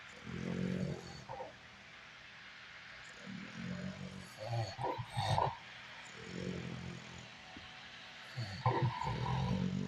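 A French bulldog snores loudly, each breath a low, rough rumble. The bursts come unevenly, some ending in a sharper snort, with quiet gaps between them.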